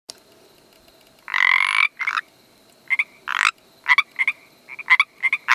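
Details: Pacific treefrog calling: a long raspy croak followed by a run of short, bright two-part croaks in uneven bursts, with a faint steady background hum.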